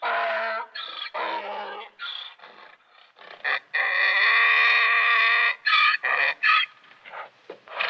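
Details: Donkey bray with choppy rasping bursts that give way to a long, sustained, strongly tonal honk, followed by more broken, wheezy pulses.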